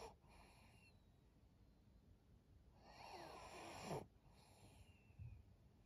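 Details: Maria, a twelve-year-old female fawn Pug in Japan, snores and wheezes through her nose; a louder drawn-out breath swells in the middle and ends in a snort, with softer snuffles around it over a low steady hum.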